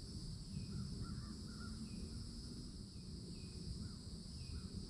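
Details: Cicadas in summertime at a Florida forest edge by an old oak tree, a steady high buzzing drone held without a break, with short repeated bird calls over it and a low rumble of background noise.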